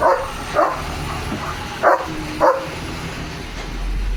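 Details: Leo, a pet German Shepherd, dashing off after spotting another dog: four short, harsh barks in two pairs, each pair about half a second apart, over a steady low rumble like a passing vehicle.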